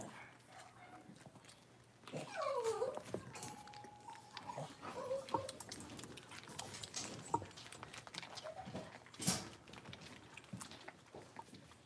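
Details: Young blenheim Cavalier King Charles Spaniel puppies, one of a litter of five, in an indoor pen; a thin whimper slides down in pitch, then a brief steady whine follows, with scuffling and a sharp knock later.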